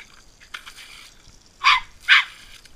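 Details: Two loud, harsh barks in quick succession, about half a second apart, come from Boris the Norfolk Terrier during water play, after a softer rustle.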